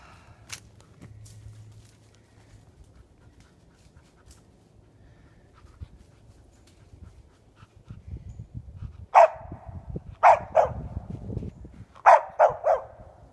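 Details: Hunting dog barking after treeing a fox squirrel in a tree ringed by briars. The first nine seconds are quiet with faint rustling. Then come six loud, sharp barks in two bursts of three, the second trio quick and close together.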